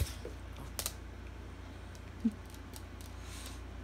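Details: Faint scattered clicks and taps over a low steady hum indoors, with one brief soft knock and no animal voice.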